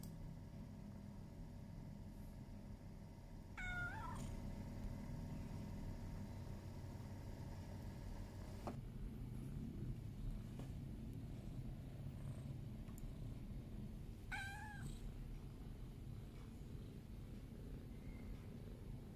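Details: Sleepy pet cat meowing to be petted: two short, sweet rising-then-falling meows about eleven seconds apart over a steady low traffic rumble.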